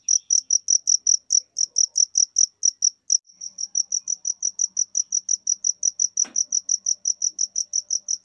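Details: Cricket chirping: a fast, steady series of high, pure pulses, about five per second, with a brief stumble near three seconds and a single sharp click partway through.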